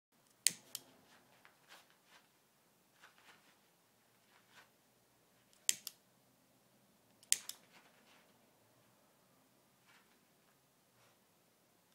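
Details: Sharp isolated clicks, like a lighter being struck, over faint room hiss, with no barking or other animal sound.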